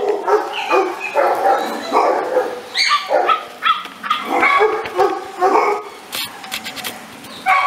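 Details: An American Staffordshire Terrier keeps up a busy run of high, yelping barks and squeaky yips, closely spaced and overlapping, in a near-continuous stream that thins out toward the end.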